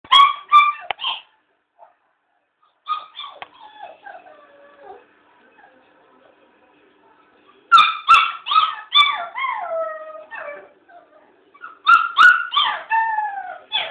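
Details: Black Labrador Retriever puppy crying at a door: bursts of high, wavering whines and yelping cries, each group sliding downward, with a long quiet gap midway before renewed clusters of rapid whimpers.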